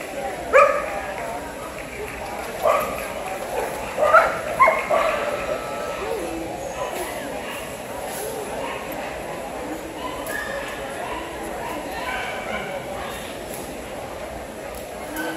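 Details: Kewpie, a dog at a dog show, gives a handful of sharp barks and yips spread over the first six seconds, then falls quiet while a steady murmur of people talking fills the hall.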